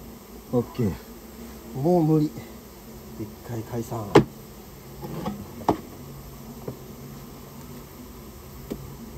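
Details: Japanese honey bees buzzing during the removal of a colony that built its nest inside a storehouse. Several short, loud fly-by buzzes come in the first half, mixed with knocks and clicks from the work.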